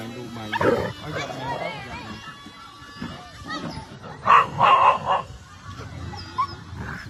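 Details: Several curious dogs react to a drone flying overhead. Some bark and run around. Short, harsh barks come in a cluster of bursts near the middle, with people talking and faint music throughout.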